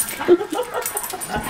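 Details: Spock, a pet dog, playing rough with his "uncle" Aaron indoors: a brief burst of soft, breathy, noisy dog sounds with one louder peak near the start, then low rustling and faint human voices.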